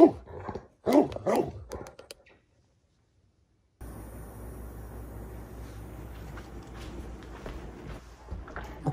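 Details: Great Pyrenees indoors during a dominance scene, female RunRun mounting male Alain: a cluster of quick whining yelps at the start, then a pause and steady room hiss with faint voices.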